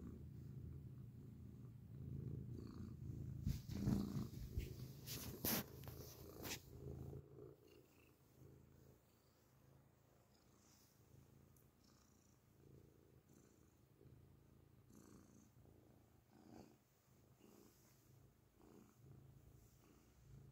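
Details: Grey cat purring loudly, recorded up close: a deep, steady low rumble, strongest in the first seven seconds with sharp clicking and rustling handling noises, then continuing more softly.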